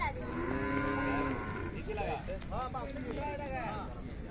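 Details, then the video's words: Khillari cow lowing at the Sangola cattle market on 5 May 2024: a steady, drawn-out moo of about a second near the start, followed by men talking over the crowded market noise. "सागोला खिलार गाय बाजार"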